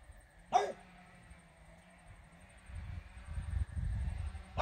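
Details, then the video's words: French Bulldog Regis barks at fairies. One sharp bark opens and another closes the moment, with muffled low rumbling and shuffling in between. "barking at fairies"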